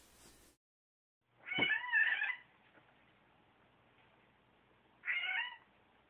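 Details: Bengal cat indoors being introduced to another cat at home, giving two meows: a long, slightly rising then falling cry lasting under a second, then a shorter one about three seconds later, in a quiet room.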